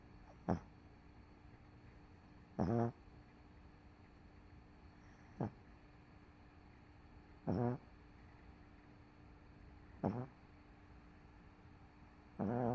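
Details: Dog MoMo, crashed on the couch after a rough day, snores steadily: six short, low guttural snorts about every two and a half seconds against a soft constant background hum.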